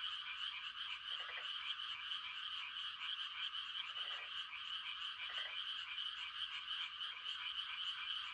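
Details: Countryside frogs calling for mates at night form a continuous shrill, pulsing chorus, while deeper croaks stand out roughly every one to two seconds, near one, four, five and seven seconds.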